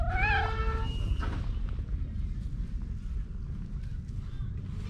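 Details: Park cat meowing while purring, the two blending into a 'goro-nyan' sound: one bright, harmonic meow that rises and then falls, lasting just under a second, followed by a steady low rumbling purr under outdoor background noise.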